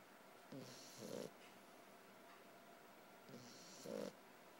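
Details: Sleeping puppy snoring softly; two breaths heard, each a low rasping inhale followed by a brief wheezy exhale, about three seconds apart, over quiet hiss.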